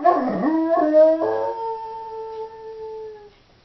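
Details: Female Doberman howling when left home alone, a single drawn-out tonal howl with rich harmonics, breaking and wavering in the first second then holding a steady falling pitch before fading out after about three seconds.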